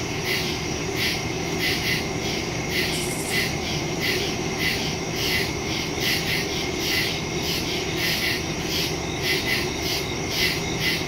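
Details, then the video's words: Crickets calling at night in woods, captured September 2, 2023 on a phone using a stereo microphone; a layered, pulsing high chorus of regular chirps runs throughout, one brief brighter burst early on, over steady background hum. "Crickets in the woods at night"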